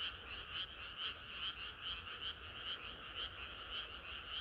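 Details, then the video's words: Chorus of many frogs singing on a hot summer night, a dense two-toned trill with pulses swelling about twice a second, steady and unbroken throughout. "개구리들의 합창은 끝이 없어라"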